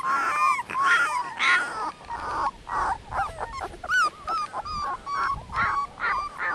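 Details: Eighteen-day-old Dogo Canario puppies whimpering: repeated high, wavering cries with rising and falling bends, short yelps in irregular bursts from more than one pup, with brief rustling between calls.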